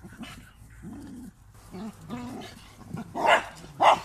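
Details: Standard Bull Terrier with an American Bulldog, low broken growls building into two loud, sharp barks about half a second apart at the end.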